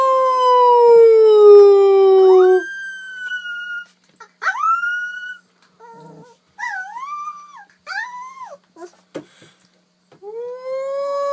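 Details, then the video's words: A puppy howls in a long, clear, slowly falling tone, then gives short rising and arched yelps separated by silences, ending with another rising howl. "Cutest Puppies Howling"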